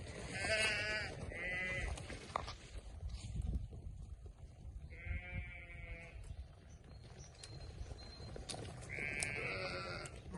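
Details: Sheep on a farm bleating in short quavering bursts, four calls spaced unevenly over ten seconds, with a steady low rumble of background noise between them.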